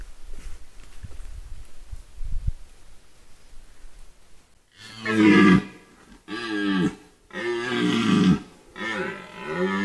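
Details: A red deer stag (Cervus elaphus) in the White Carpathians in 2022 gives deep, drawn-out roaring bellows, several in a row after a quiet start.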